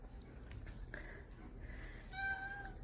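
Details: Cat trying to escape, giving a short, faint meow near the end, a steady tonal cry with clear harmonics; a fainter high wavering note comes just before, over quiet indoor background hum.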